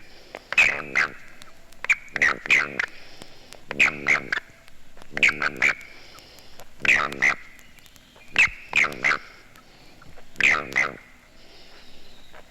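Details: A male Southern toad (Bufo terrestris), seized by another male at a breeding site, gives its warning chirp with a warning vibration: short bursts of chirping, clucking notes in clusters every second or two.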